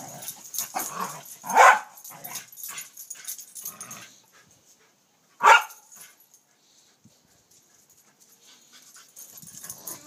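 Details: A Corgi playing with a tetherball gives two sharp, loud barks a few seconds apart amid scuffling and thumping.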